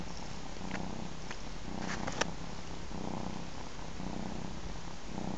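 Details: Ginger kitten, three months old, suckling from its mother; continuous low rumbling purr with rhythmic in-and-out pulses roughly every second, a brief sharp tap near the middle.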